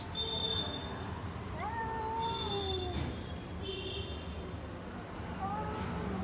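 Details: Cats in a garden, among them a lion-like cat, a tall cat and a short cat, giving a few rising and falling meows with harmonic overtones over steady low traffic rumble and faint high bird chirps.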